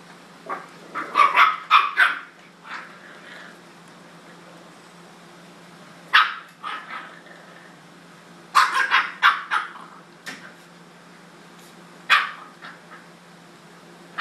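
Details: Jack Russell Terrier pups bugging an older male dog at home; sharp, high yappy barks in quick clusters near the start, middle and end, separated by quiet pauses with a steady low hum.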